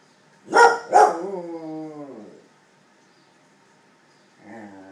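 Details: A 10-year-old Cardigan Welsh Corgi howls at the weekly noon tornado siren test, giving two sharp yelps that stretch into a wavering, falling howl.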